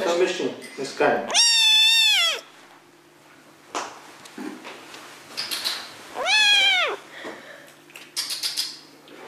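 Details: Munchkin cat, a breed with very short legs, giving two loud drawn-out meows, the first about a second long with a wavering, slightly falling tone, the second shorter and arched. Brief low voices and soft rustling fill the gaps indoors.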